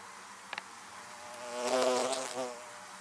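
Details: Western honey bees (Apis mellifera) buzz around beehives: a steady droning wing hum that swells as a bee passes close.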